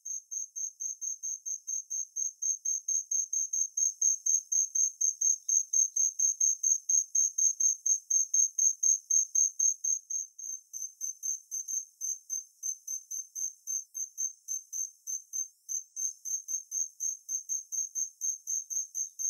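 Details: Song of the Kinhibari cricket (Natula matsuurai): a steady stream of high, ringing pulses repeated about twice per second, clean and metallic, with faint overlapping pulses from a second voice later; no other noise.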